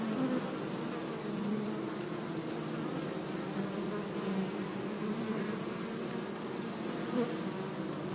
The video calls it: bee buzzing sound - zumbido de abelha